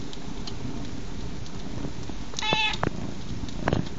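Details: A cat lets out a single short, high meow midway through, over a steady bed of crackling fire with scattered pops and snaps.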